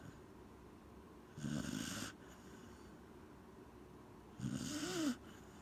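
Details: Corgi Gen-chan asleep and snoring, two raspy drawn-out snores about three seconds apart, the second ending in a faint squeaky whistle-like rise.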